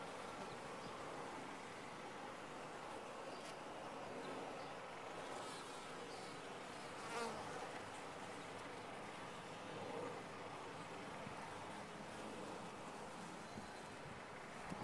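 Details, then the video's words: Bees inside a top-bar hive make a dense, steady buzzing hum that holds at an even level throughout, with a brief louder swell near the middle and another later on. "Bees in a topbar hive"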